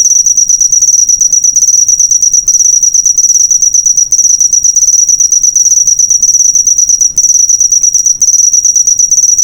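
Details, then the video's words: A single steady, piercing cricket trill serving as a master track for teaching cage birds, made of fast regular pulses at a constant high pitch, with short gaps around two and a half, four, seven and eight seconds. "suara jangkrik"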